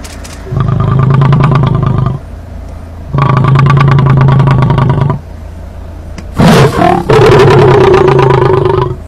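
Lion roaring in long, deep, rumbling bursts, then a harsher snarling roar.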